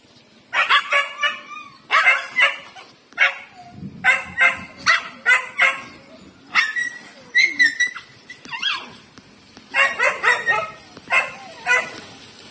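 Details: A big street dog pesters a female pet dog, Lucky, who does not like him. Rapid clusters of shrill, yelping barks recur over and over, some rising into squeals, with brief low scuffling between bursts.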